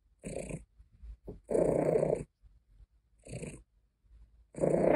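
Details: Pet cat Caesar von Schwanheim complaining and purring: four raspy, breathy grumbles of uneven length, the longest lasting under a second, separated by soft snuffly breaths and near silence.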